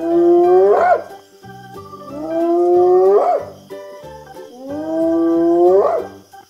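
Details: Hyena giving three long calls, each sliding steadily upward in pitch and ending in a brief rough burst, spaced about two and a half seconds apart, over steady background music.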